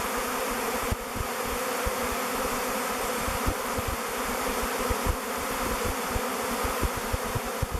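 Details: Thousands of bees in a swirling swarm choosing a log hive called Bee Beard as their future home, waggle dancing and flying before entering the hive mouth; a dense, steady droning hum throughout, with low irregular thumps underneath.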